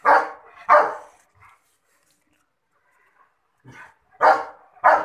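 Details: German Shepherd giving loud, harsh barks, two close together at the start, then a long silence, a softer sound, and two more barks near the end.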